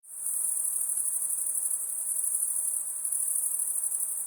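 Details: Crickets at night: a dense, continuous high-pitched trilling chorus with a fine pulsing texture and no gaps, steady in loudness throughout, with a faint low hiss beneath and no other animals or voices.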